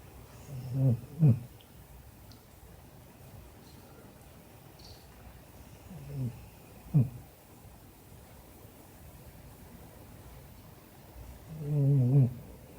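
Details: An English Springer Spaniel sound asleep snores indoors: three low, rumbling breaths, each a paired inhale and exhale, come roughly five seconds apart. The room is quiet between them.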